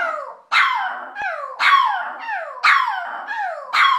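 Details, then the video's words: Cujo, a dog, gives a run of short howling yelps, each starting sharply high then sliding downward, repeated roughly once a second in an uneven rhythm, with a single faint click partway through. "Howling Cujo"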